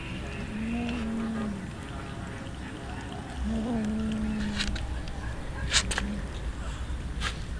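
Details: Hungry street cats being fed raw fish give two long, low, steady drawn-out meows, each over a second long with a slight bend at the end, over background chatter and clicking.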